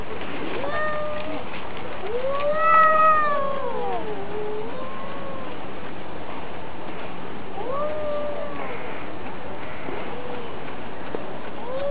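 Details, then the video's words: Fighting cats, cat against cat: harmonic-rich caterwauls arching up and down, one loud swelling wail near three seconds, then fainter rising and falling yowls spaced several seconds apart over constant background hiss. "Драка Котов. Кот против Кота | Cats Fight video Cat vs Cat"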